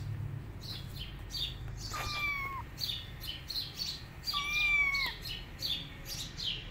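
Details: Rescued tabby kittens roaming without their mother cat: two high, thin meows, each a brief rising-then-falling wail, around two and four seconds in, over busy high chirping in the background.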